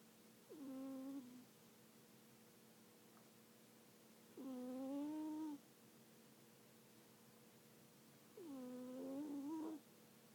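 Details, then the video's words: Sleeping cat snoring: three drawn-out, steady, humming nasal tones arrive about four seconds apart. Each dips slightly, holds, then lifts briefly at its end, with quiet room hush in between. "Snoring cat"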